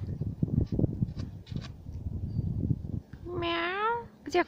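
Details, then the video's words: Cat meowing behind a fence as a cocker spaniel seeks a way through or under it; after scuffling and rustling noises comes one clear, tonal meow that rises then falls slightly, ending in a short sharp sound. "COCKER SPANIEL SAW A CAT BEHIND THE FENCE"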